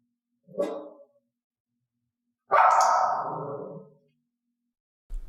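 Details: Dog barking, from training to stop barking at strange sounds or when left at home: a short, clipped bark, a pause, then a long, loud, rasping bark that tails off, with a low thump at the close.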